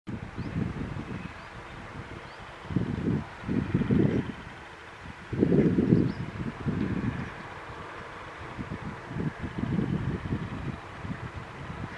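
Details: Only low wind gusts and rustling, with no animal calls.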